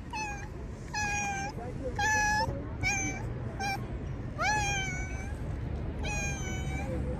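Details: Hungry stray cat in the streets of Turkey: a string of seven loud, drawn-out meows, some level and some rising then falling, each lasting about half a second, with a faint human voice behind.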